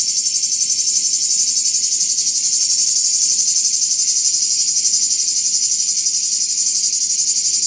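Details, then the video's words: Summer cicada chorus heard in Greece, the insects signalling to one another: an unbroken shrill buzz, high and metallic, pulsing quickly and evenly without any pause. "The soothing sound of a cicade reminds me of summer."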